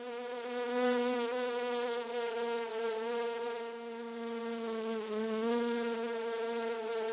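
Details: Bee hovering from flower to flower in a garden, giving a continuous steady buzz with a low droning tone and rich overtones that wavers slightly in pitch and loudness throughout.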